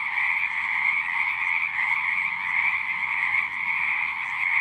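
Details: Frogs singing at a pond in a horse pasture, recorded with a Zoom recorder: a dense, continuous chorus of trilling calls in two bright bands, many overlapping callers with no pauses.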